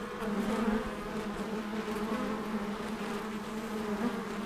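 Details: Apiary honey bees at work, heard as a continuous, even, low droning hum of many bees with slight wavering, with no other clear sounds.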